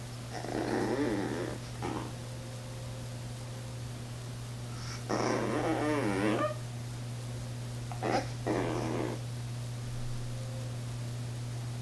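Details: Small female Chihuahua indoors, up on a chair and afraid to jump down to fetch her toy from the floor. She makes wavering, whiny harmonic whimpers in three bursts, with the longest near the middle, over a steady electrical hum.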